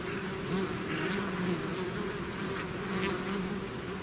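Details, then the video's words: Honeybee swarm pouring out of its hive, a dense steady drone with overlapping hums near 200 and 400, individual bees wavering in pitch as they pass close, continuous without pauses. "bees therapy swarm natural buzzing sound"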